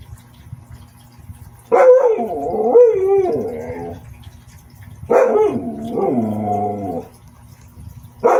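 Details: Siberian Husky giving long, wavering, talkative howls, each lasting about two seconds and bending up and down in pitch, with quiet gaps between them and a third call starting at the end.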